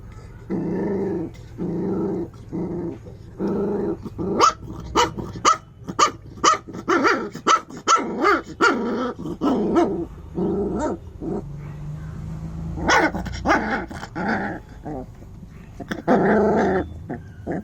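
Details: An angry puppy growls in low rumbling bursts, then lets out a run of short, sharp barks and yaps roughly twice a second, with growling returning between barks near the end.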